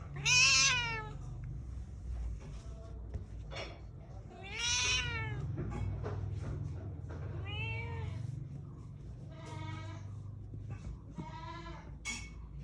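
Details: Angry cat yowling in five long, arched meows spaced a few seconds apart, each rising then falling with rich harmonics, the first and second loudest, above a low background hum.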